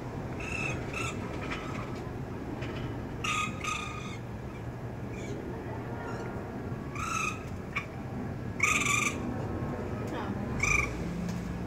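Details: Raccoon kit calling after its mother leaves, as one young tries to follow and falls from the second floor; short harsh bursts with a shrill squealing tone come at irregular intervals over steady background hiss and faint voices.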